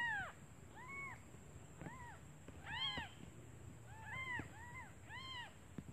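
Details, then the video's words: Freshly born kittens mewing for their mother because they are hungry; several fainter, short, arched meows come at irregular intervals over background rustle and a thin steady high whine. "Suara anak kucing memanggil ibunya"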